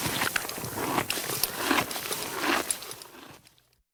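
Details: Horse eating grass: crisp, crunchy tearing and chewing bursts, roughly one per second and uneven in rhythm, with broadband rustling between bites. The sound fades to silence in the last half second.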